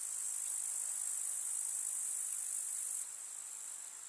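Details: Summer meadow grasshoppers in the countryside give an unbroken, piercingly high, sizzling trill that stays even, then steps down a little in volume near the end; no other clear sounds.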